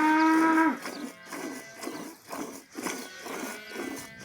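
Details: Village cow lowing: a short, strong moo of under a second, cut off sharply. It is followed by a run of soft rhythmic thuds and rustles that repeat about twice a second.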